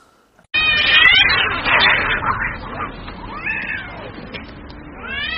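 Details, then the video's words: Cats fighting in the street: dense, warbling caterwauls begin abruptly and run on for five seconds as a tangle of overlapping wavering tones, closing with a rising wail. "cats street fights"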